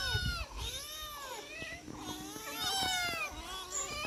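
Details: Four domestic cats being fed, several meowing at once: a mix of long falling cries and shorter rising mews, with soft clicks and knocks of feeding in the background.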